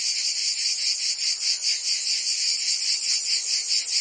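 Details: Summer cicada chorus from Provence, France, a harsh high-pitched buzz that swells and dips in quick regular pulses, roughly two or three per second, with no other sounds.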